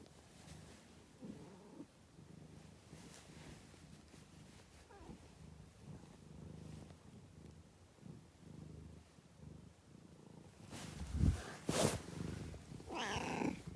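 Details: A cat purrs in low rumbling pulses that rise and fall with each breath. Loud bursts of handling noise come near the end, followed by a short higher-pitched cat sound.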